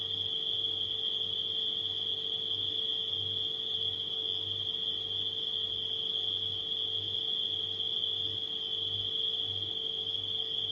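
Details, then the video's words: Nighttime crickets blended with a household refrigerator: a steady, high, continuous chirping trill runs throughout, over a constant low hum from the refrigerator that pulses softly in a regular rhythm. "Crickets & Refrigerator Humming Sound"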